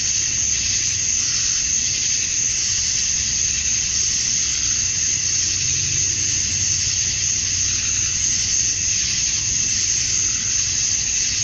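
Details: Georgia, USA, at dusk in summer: many male cicadas chirping to attract females, merging into one constant shrill drone with slight swells in intensity and a faint low background murmur.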